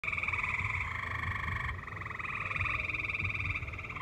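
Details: Tree frogs in a valley sing in a steady chorus of rapid, pulsing trills over a low background rumble, with live music nearby.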